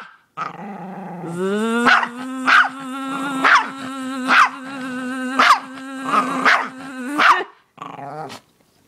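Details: Dog that reacts to buzzing noises, barking and growling in sharp bursts roughly once a second over a steady, droning buzz that holds a constant pitch for about six seconds.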